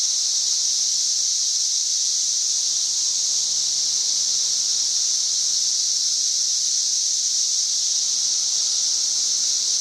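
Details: Loud tree-dwelling cicadas singing, May 31, 2024: an uninterrupted high, rasping buzz sustained at steady volume for the whole stretch, forming a wall of insect noise, a faint low hum beneath.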